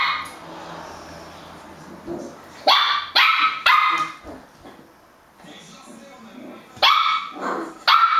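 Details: Puppies barking in a compilation of cute puppy clips: sharp high yaps in short bursts around the third and fourth seconds and again near the end, over a low background hum.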